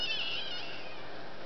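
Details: Duck-a-roo, a female kitten who loved to scream and talk, gives a short high harmonic cry at the start that fades out within a second, followed by quiet room noise.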